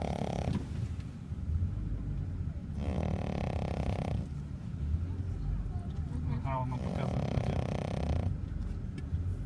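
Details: Snoring dog, with three rasping, fluttering snore breaths roughly three seconds apart over a constant deep rumble, with human voices faintly mixed in.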